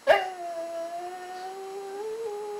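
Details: Goldy, a pet dog trained to 'talk', says 'I love you' on command: after a sharp click comes one steady, tonal, howl-like whine of about two and a half seconds, drifting slightly upward near the end, with a quiet room behind.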